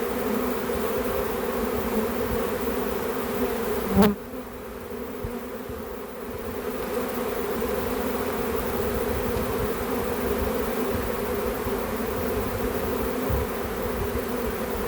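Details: Captured back-yard swarm of honey bees: an even, massed droning buzz, interrupted by a sharp knock after about four seconds, after which the hum briefly softens before returning to full strength.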